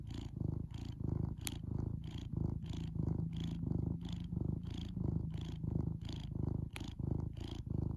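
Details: Cat purring close by, deep rhythmic rumbling in regular breathing cycles around ninety per minute, with a couple of faint clicks over the steady purr.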